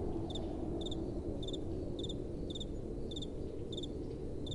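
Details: Night-time crickets chirping in gentle wind, each chirp a quick high doubled pulse, returning roughly every half second in a regular beat above a deep, steady wind hiss.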